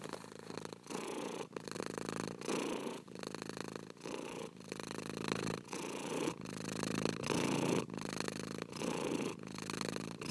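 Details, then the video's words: Cat purring steadily, a coarse low vibrating rumble rising and falling in even breath cycles of roughly 0.7 seconds, each phrase separated by a short dip. "24 HOURS OF PURRING CAT"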